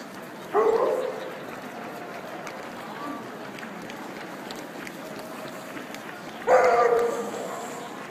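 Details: At an indoor dog show parade at the St. Paul RiverCentre, an Alaskan Malamute gives two loud, resonant woofs about six seconds apart over a murmuring crowd and hall noise.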